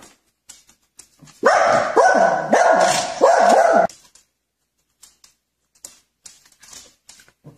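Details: A dog from a prank compilation lets out a tight series of four or five sharp, tonal yelping barks within about two and a half seconds; faint scattered knocks before and after, otherwise quiet.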